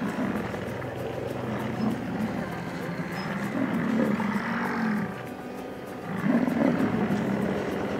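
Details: Bull bison in the pre-rut at the start of the summer rutting season, Jackson Hole, Grand Teton and Yellowstone National Parks. Low, rough, drawn-out roars swell near four seconds and again near six and a half seconds over a steady rumbling background.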